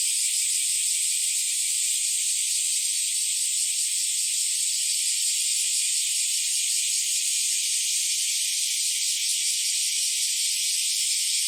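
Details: Bear cicadas and Nii-nii cicadas singing together on an early summer morning in July 2023, a continuous shrill, buzzy wall of sound with a faint fast pulsing inside it, even in volume from start to end.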